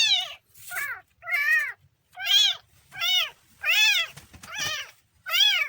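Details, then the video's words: Kitten meowing in a series of seven high, arched, harmonic-rich meows, each about half a second long, separated by short silent gaps, with a faint low background rumble. "kitten funny sound"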